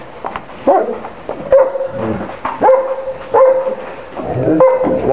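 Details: Big dogs met during a visit give repeated whining yelps with steady held tones, roughly one a second, while people talk and greet each other.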